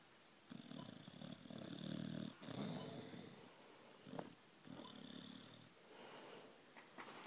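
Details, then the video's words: Boxer dog asleep and snoring. Raspy, drawn-out snores with a low rumble swell and fade in a steady breathing rhythm, interrupted by a sharp snort-like click near the middle. "Snoring, twitching, hilarious boxer dog"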